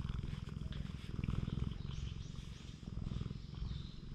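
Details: Low, buzzing purr from a stray cat being handled and stroked on a cat island, swelling slightly in loudness with each breath cycle, captured on a GoPro HERO8 Black; soft faint chirps overhead.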